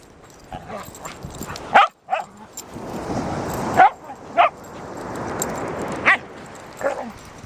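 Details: Shikoku dog on a walk by the sea; sharp single barks and yips spaced irregularly a second or two apart, with a soft rushing wash of surf and wind between them.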